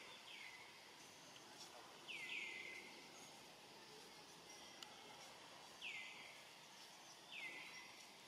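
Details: Rainbow, a young monkey on its own and hungry, keeps calling for its family: four piercing calls that swoop downward and settle into a brief steady whistle, separated by pauses, with a continuous hiss of ambient noise.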